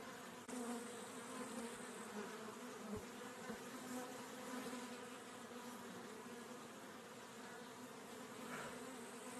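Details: Continuous droning hum of honey bees, a level low buzz holding steady with a few soft knocks and no birds or voices.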